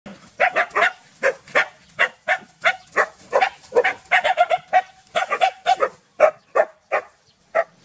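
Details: Two village dogs, Pao and SokYaa, barking loudly while SokYaa is frightened; quick, harsh barks in uneven bursts, sometimes overlapping, about three per second, with short pauses between runs.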